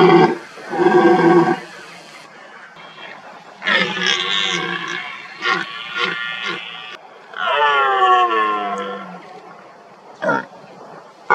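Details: Red deer stag in the rutting season roaring to intimidate rivals and impress hinds: loud, harsh, harmonic-rich bellows in several bursts of one to three seconds, separated by quieter pauses, with short grunts in between.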